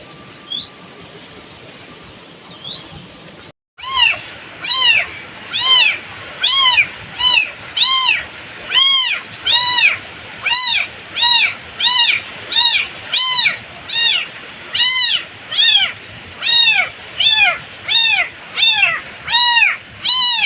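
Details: Kitten without its mother, distressed, on a farm in village life; a long series of loud, high arched meows repeated about once every second after a brief quiet opening with faint sounds.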